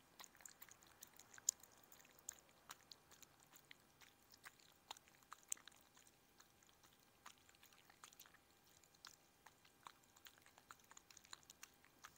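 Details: Chihuahua eating indoors, crisp irregular clicks and crunches of chewing repeating through the recording, fairly quiet with no voice heard.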